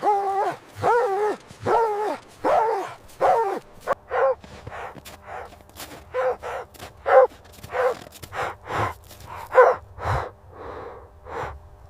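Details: Snowy winter ground where puppies play with their mother dog: a steady series of high, tonal barks and yips, loud at first, then growing rougher and more uneven, with short gaps between bursts.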